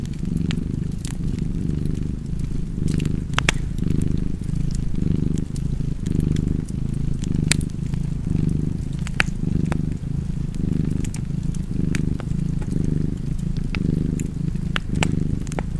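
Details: Cozy cat purr by a fireplace: a deep, continuous rumble pulsing in breath cycles just under a second apart, with scattered pops and crackles from burning wood throughout.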